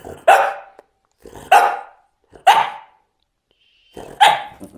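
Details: Talking French bulldog giving four loud, abrupt barks roughly a second apart, each bark followed by a short rough trailing grunt, with quiet gaps in between.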